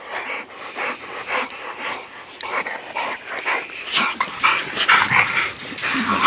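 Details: American bulldogs at play in the backyard give rough, noisy yips and whimpering bursts about once a second, growing louder and denser toward the end, over scuffling movement.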